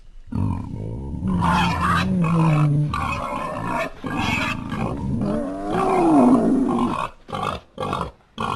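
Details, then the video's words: Wild boar, an animal living in herds of young boars and females: deep, rough, drawn-out grunting and growling with wavering tonal calls, pausing briefly near the end before shorter bursts. "Som do javali"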